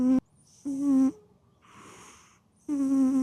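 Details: Sleeping cat giving three humming, buzzy snores. Each one is steady in pitch and lasts about half a second, and a soft hissing exhale falls between the second and third snore.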